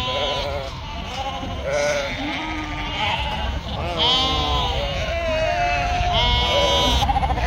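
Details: A sheep, a ewe that has just given birth and cannot stand up, kept on a sheep farm in northern Spain; wavering bleats recur several times, mixed with people talking nearby.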